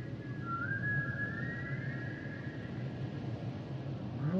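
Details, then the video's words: Humpback whale song with a long, thin whistled tone that rises slightly and holds steady for about two seconds, then fades; a brief upsweep at the very end over constant low underwater hiss. "Sounds and Songs Of The Humpback Whales"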